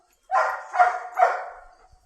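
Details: Bengaluru German Shepherd pack dog barking three times in quick succession, each bark rough and mid-pitched with a slightly whining ring, the last one trailing off slowly.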